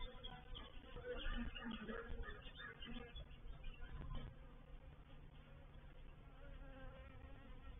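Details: Honey bee reproductive swarm entering a bait hive, or swarm trap, at Painted Peacock Manor, 04/07/21: a rumbling, wavering drone that swells in the first seconds, with a deep low hum beneath.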